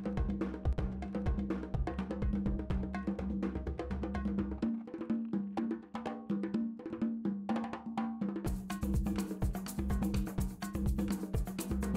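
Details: Percussive drum music with wood block and bass beats throughout, briefly thinning before resuming; no animal voice is heard.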